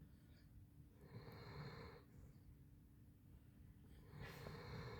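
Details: Asleep indoors, the Basset Hound Handsome Jack lets out two drawn-out, hoarse snores about three seconds apart, each a rough, breathy rasp over a low rumble.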